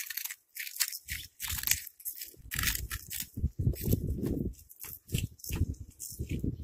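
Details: Crunching as a cat eats, with steady, loud, crackly bites following one another closely, each a short burst of crushing and chewing with brief pauses between.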